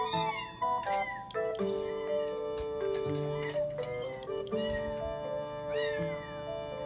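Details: Domestic kitten calling from within a box, heard by the home's Scottish Fold cats; repeated rising-falling meows roughly once a second, with music playing throughout.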